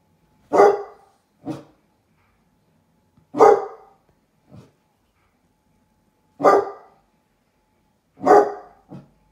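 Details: Baby basset hounds at a window barking at a stranger outside: loud, harsh barks in pairs, each strong bark followed by a softer short one, the pairs repeated about every two to three seconds, indoors with little else heard.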